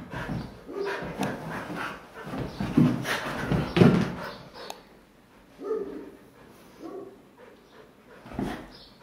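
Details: Several pet Siberian Huskies romping on a couch at home: low, throaty growls and grumbles swell to a loud burst around the middle, then trail into softer scattered grunts and a final thud.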